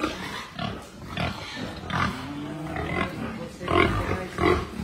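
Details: Berkshire x Pietrain crossbred gilt kept on a hog farm, making low, short grunts at an uneven pace, with quiet talking in the background.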